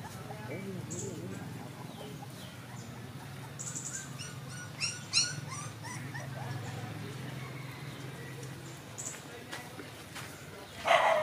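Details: Five puppies, one of them white, drinking milk; short high whimpering yelps break out near the middle and again at the end, over a steady low hum and background voices.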